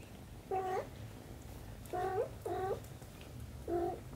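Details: Mother cat with her kitten, four short meows at about half a second, two seconds, two and a half seconds and nearly four seconds, each a harmonic-rich tone, indoors with low background hum.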